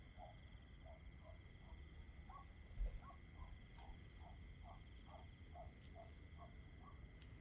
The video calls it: Tinnitus Blocker Just Crickets 10 Hours Nature Sounds